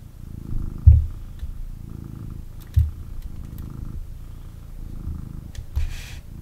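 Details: Male kitten picked up for cuddles indoors purring hard: deep low rumble pulsing in long breaths, with a few soft handling thumps and faint rustling.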